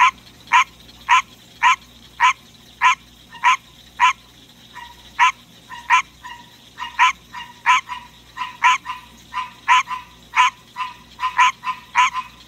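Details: Captive male green tree frog singing in the middle of the night: a long run of loud, nasal, honking croaks, about two per second, slightly irregular, with a faint steady low hum in the background.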